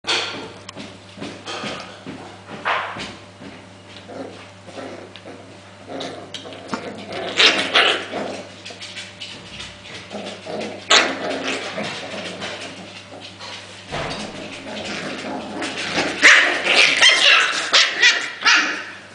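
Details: Five-week-old Welsh Corgi puppies, exploring, playing and scuffling, give high, thin yips and whimpers in irregular bursts over a low hum. Finding: Welsh Corgi.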